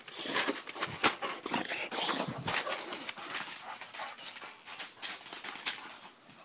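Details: Farm dog named Max going crazy, barking frantically: harsh, broad bursts in a rapid, irregular volley of about two per second. The barks blur into one another, with a small room's echo around them.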